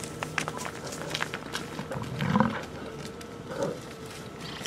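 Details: American bison in Yellowstone National Park, Wyoming prairie, in summer, among bison that are fighting, filmed on a camcorder: one deep, rough roar of about half a second midway, a shorter grunt after, amid scattered clicks and outdoor background noise.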